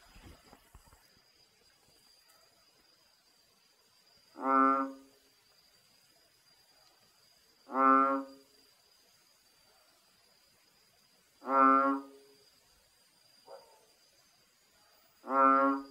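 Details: At night in rainforest on Phuket, Thailand, a male bullfrog calls from a hole in the ground near a water reservoir, giving a deep, nasal, honking note about every three to four seconds.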